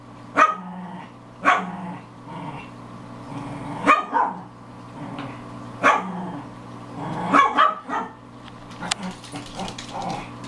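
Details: Four female Pekingese indoors, including a Maltese Pekingese mix, aged five to seven, playing hard and loud; short sharp barks spaced irregularly every one to two seconds, with soft growls between them.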